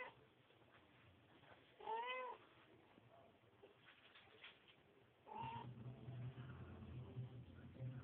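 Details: Domestic cat, a mother cleaning her kittens: two brief meows with rising-falling harmonics, one near two seconds and a louder one past five seconds, over a steady low hum.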